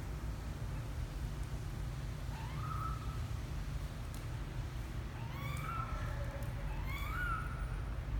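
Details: Kitten Misoka, twelve days old, exploring outside the box for the first time: a faint high mew, then a quick run of three thin mews near the end, over steady low hum.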